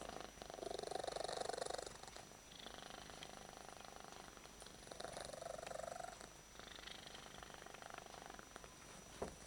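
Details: Domestic cat that loves being held, purring at full strength; a continuous rumbling purr with louder breath phases recurring about every two to three seconds over nearly ten seconds.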